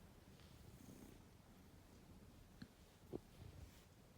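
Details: Soft continuous purr from a ragdoll kitten, a low throbbing rumble running throughout, broken only by two brief light knocks or clicks near the middle; quiet indoor setting.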